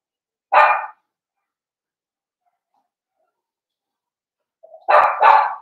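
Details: Blenheim Cavalier King Charles Spaniel puppies, from a litter of five born at New Year's, barking indoors in a puppy pen: one short sharp bark, a long silence, then two quick harmonic barks close together.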